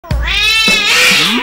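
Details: Domestic cat calling out with one loud, drawn-out yowl lasting over a second, richly harmonic, rising slightly then holding steady and bright to the end.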